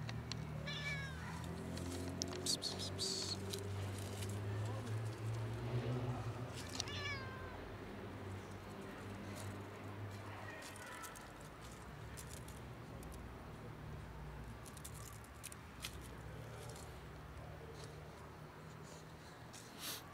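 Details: Ginger cat emerging from bushes and asking for food, giving a few short rising-falling meows in the first ten seconds, then quiet, over a constant low rumble and background noise.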